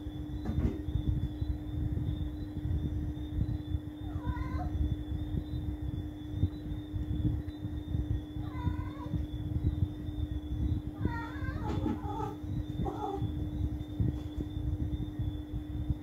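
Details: Domestic cat at night giving several short, faint, wavering meows with bending pitch, spaced irregularly across the recording, over a steady electrical hum and a constant high tone.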